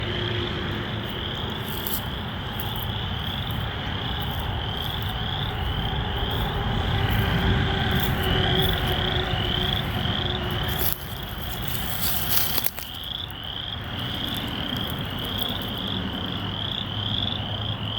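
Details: A chorus of frogs in Michigan, recorded 27 March 2023, gives rapid, high trilling calls over a low background rumble.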